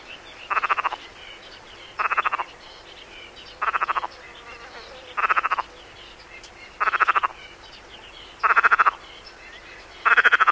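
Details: Perez's frog from the Mediterranean coast, on a 1996 French educational cassette of frog and toad voices: short rasping calls like a throat rattle, each a burst of rapid clicks, repeated roughly every one and a half seconds over a quiet background.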